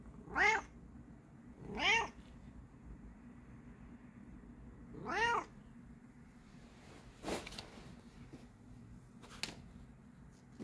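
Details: A Bengal cat playing with a new toy gives three clear, arching meows, rising then falling in pitch, followed by soft clicks and knocks.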